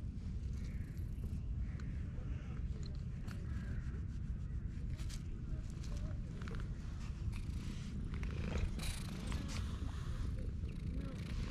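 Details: Stray female cat purring loudly while being petted: a steady low rumbling throb filling the whole clip, with faint rustling and a few soft clicks on top.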